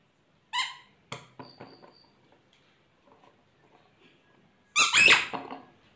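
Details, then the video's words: A happy Shih Tzu puppy gives its first bark, a thin, squeaky, high-pitched yelp, then a few scuffling noises. "Shih tzu puppy's first bark"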